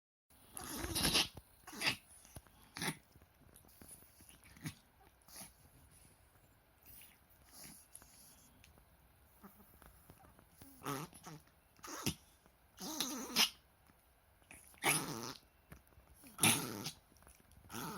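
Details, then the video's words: Pet Chihuahua indoors in a long bout of reverse sneezing that recurred many times that day and seemed distressing; later X-rays found windpipe, lungs and heart fine. Irregular harsh snorting gasps come in quick bursts, about a dozen spread unevenly across the stretch. "チワワの逆くしゃみ 苦しそう"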